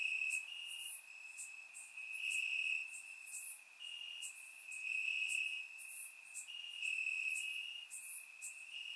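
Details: Grass crickets on a warm summer night in Bulgaria, captured with a surround microphone: an unbroken high-pitched trill with slight stepwise pitch shifts, punctuated by short bright chirps every second or so.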